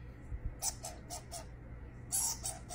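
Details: Baby skunk calling while being talked to by a person: a run of short, sharp, rasping chirps, about five spaced bursts in the first two seconds, then a louder burst and a few more, over a steady low hum.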